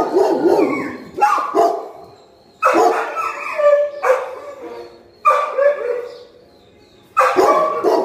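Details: Golden retrievers turn aggressive when someone picks up their food bowls, barking and growling at the person. Loud, harsh barks come in clusters of two or three, with rough, gravelly tails between bursts, repeated several times.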